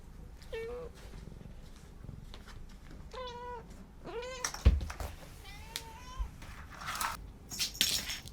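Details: Chatty domestic cat meows repeatedly, four drawn-out tonal meows, some rising then falling, spaced about a second apart, with a sharp knock and clattering household noises near the end.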